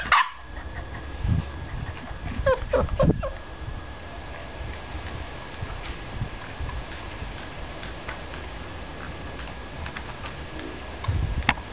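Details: Male chow chow dog giving an abrupt bark-like yelp at the start, then a cluster of strained, harmonic whines and whimpers near the middle, a few soft squeaks, and a final sharp sound, all over low steady hum.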